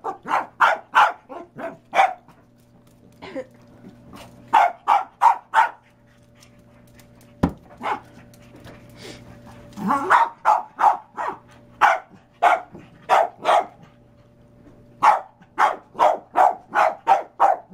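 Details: Pet dog barking at a bowling ball, which it is said to hate: loud, sharp barks in quick bursts of three to five, repeated through the recording, with a short pause midway and a person laughing and urging it on.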